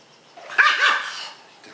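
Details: A single short, sharp bark, rising and falling quickly, from one of three pet dogs (a Husky-Shepherd mix, an orange fox-face Pomeranian and a Miniature Schnauzer) during treat time while their owner plays with them on the floor.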